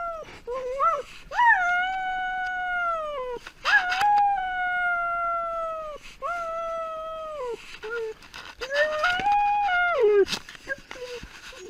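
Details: A pet dog left alone when its owner goes out, giving long drawn howls that rise and hold steady before falling off, about five in a row, with short whimpers between.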